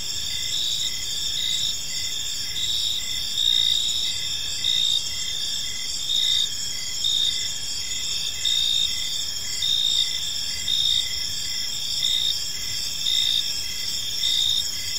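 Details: Evening cricket chorus in a peaceful park: continuous high-pitched shimmering trill, with louder chirp bursts swelling roughly every one to two seconds, faint low environmental noise underneath.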